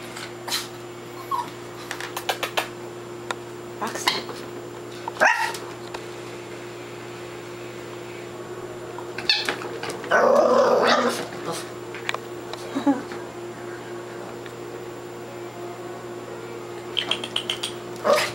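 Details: A newly adopted dog, in her first weekend at home, playing with her toys indoors. One loud harsh bark lasts about a second midway, amid clicks and knocks of toys and a steady electrical hum.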